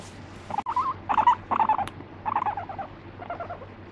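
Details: Angry pet guinea pig scolding when the petting stops; loud choppy bursts of rapid stuttering notes, four close together and then two softer ones, with a sharp click near the middle and a faint low hum.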